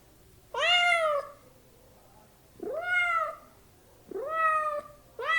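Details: Meowing domestic cat among house kittens and cats: three full, bowed meows about every one and a half seconds, the fourth cut off at the end, over a light steady background hiss.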